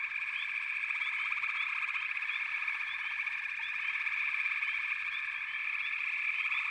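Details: Frogs calling together in a steady, buzzing, pulsed chorus, with quick upward chirps repeating every half second or so over the continuous drone.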